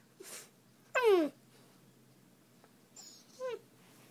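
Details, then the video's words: Young Siberian husky while playing and talking, uttering a short whining moan that slides downward, followed after a pause by a fainter, similar falling whine, over a low room hum. "Little husky playing and talking"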